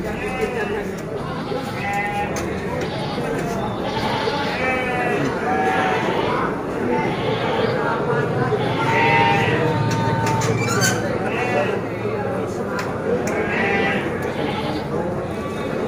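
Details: Garut sheep, pure white, at Tanjungsari market: repeated wavering bleats from several animals over steady crowd noise and a man talking nearby.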